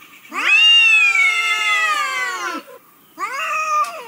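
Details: Domestic cat meowing: a long drawn-out harmonic meow of about two seconds, slightly falling at the end, followed after a pause by a shorter second meow.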